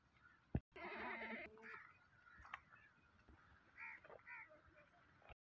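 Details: Goat offered for sale, a "maki cheni bakra", letting out one loud wavering bleat with stacked harmonics lasting about a second, then softer bleats and a brief voice in a noisy setting.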